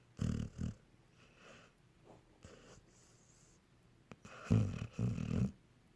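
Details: A pet dog asleep and snoring indoors, compared to a cartoon dog; two short low snorts at the start, a long quiet stretch of soft breathing, then two louder rattling snores near the end.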